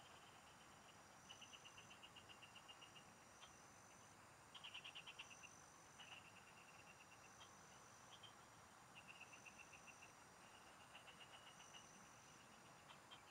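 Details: A chorus of field frogs heard while fishing: bursts of quick, evenly pulsed notes come in clusters lasting one to two seconds, over a constant thin high tone and broad hissing noise.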